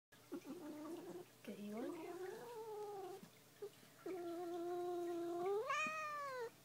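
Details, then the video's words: Muffin, a female pet cat, growls in protest at being brushed: long, low, moaning tones that waver and rise, the last swelling into a higher yowl, with short pauses between. "Growling Cat"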